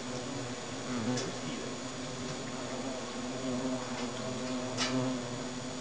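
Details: Hornets alarmed inside their nest, a steady low droning buzz with harmonic bands, punctuated by a few brief scraping clicks.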